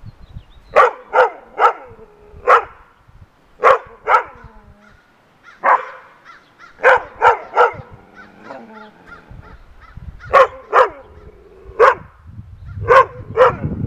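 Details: Rough Collie barks in sharp, resonant clusters of two or three with short quiet gaps, over a faint hum and low rumbling, barking at a groundhog on a fence.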